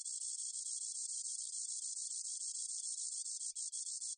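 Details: Spotted meadow katydid, recorded in Korea in 2020, giving an unbroken high sizzling trill of fast ticking pulses for over four seconds, with a few brief stutters near the end and no other sounds.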